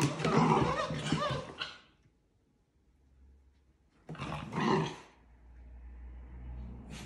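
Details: Dachshund puppies playing outdoors, two rough, broadband growling bursts about three seconds apart separated by near silence, with a faint low hum between them.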